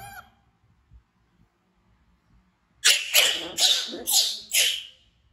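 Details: Frightened baby monkey named Bean, an orphaned infant kept by villagers, screaming while running to hug Poppy Brown: after a quiet start, five harsh, shrill screams burst out in quick succession over about two seconds.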